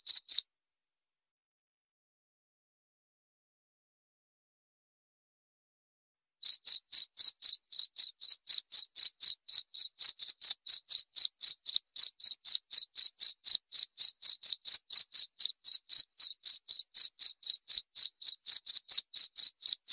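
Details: A cricket gives one short burst of chirps, falls silent for about six seconds, then resumes a steady, high chirping at roughly four pulses per second through to the end; nothing else audible.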